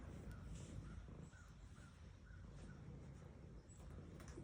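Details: Female domestic cat purring while being petted: a steady low rumble with faint, evenly spaced higher ticks about every half second and a soft rustling background.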